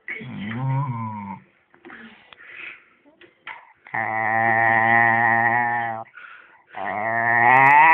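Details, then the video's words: Eddie, a pet dog, vocalizes in long drawn-out harmonic moans and howls of one to two seconds each, rising and wavering in pitch, with brief quieter grumbles between them and no other clear sounds. "Eddie the Possessed Dog"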